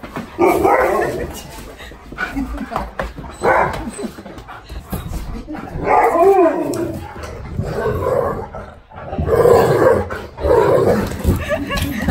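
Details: Five-year-old Siberian Husky K'eyush reacting to a birthday surprise visit from his best friend; repeated wavering whines and yelps rise and fall in pitch amid overlapping excited human speech.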